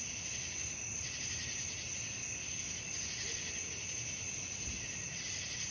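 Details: Crickets calling through the night, an unbroken high-pitched trill layered with gently throbbing chirps that rise and fall at a regular pace, over quiet low background noise.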